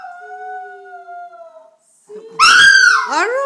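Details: Pet Chihuahua singing along with its owner, a long steady tone held first, then after a short pause a loud high wavering howl that slides downward, with the owner's voice urging it to sing more.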